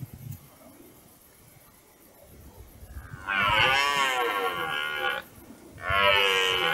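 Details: Red deer stag roaring during the rut on a meadow by a forest: after three seconds of quiet background, a long, rich, hoarse roar with a wavering pitch, then a second roar begins after a short pause.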